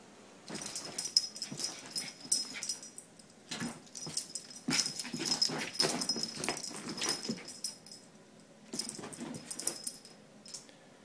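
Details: Jack, a pet dog meeting bubbles for the first time, chases them eagerly: clusters of sharp huffing snorts and quick jaw snaps arrive in uneven bursts separated by quiet gaps, with a faint steady high whine underneath.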